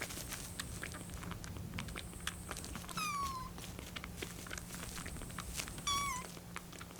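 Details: Rescued kitten, 25 days into care, calls impatiently while the milk cools. Two high, quavering, bird-like meows, about three seconds apart, each falling in pitch, over a hissy room background with faint rustling.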